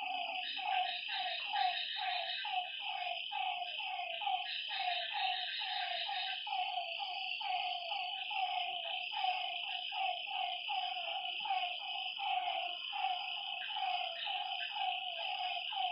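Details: Frogs calling at night by a lakeside: short, slightly falling croaky notes repeated two to three times a second, several callers overlapping, over a constant high, shrill drone from other night creatures.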